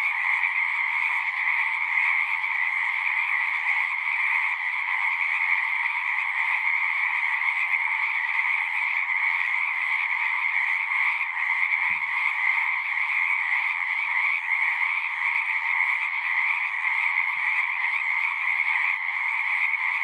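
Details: Chorus of singing frogs recorded as natural sound: a constant wall of overlapping trilling calls holding one high pitch band and a lower one, steady loudness throughout, with a faint low hum near the start and a brief soft knock midway.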